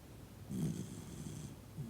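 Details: Toy Poodle Noa, fast asleep among family at home, lets out one brief, low snorting snore followed by soft breathy air. A faint second rumble comes near the end.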